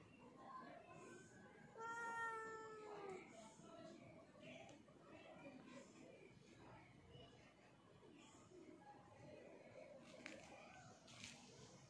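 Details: Black pet cat letting out a single drawn meow that slides downward, followed by quiet indoor rustling, faint clicks and soft background voices.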